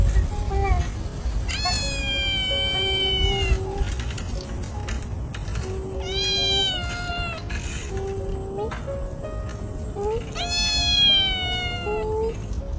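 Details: Stray kitten, probably just over a month old, found under a car, meowing nonstop as if searching for its lost mother: three long, drawn-out, rising-then-falling meows a few seconds apart over soft background music and low rumble.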